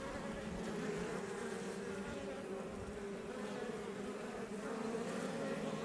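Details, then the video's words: Iberian honey bees (Apis mellifera iberica) outside a Langstroth hive west of Roquetes, south Tarragona, Catalonia, Spain, near Els Ports National Park; a dense, steady, low droning hum of many bees, unbroken throughout, with slight swells in loudness. "Honey Bees Healing Sound Effect"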